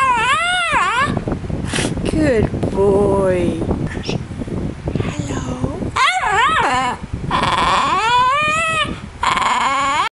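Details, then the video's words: Pet dog named Mr Bean, indoors, being taught to say hello: drawn-out whining, howl-like vocal sounds that bend up and down in pitch in repeated phrases, over constant loud fan noise buffeting the microphone. "Talking Dog Mr Bean Having Say Hello Lessons"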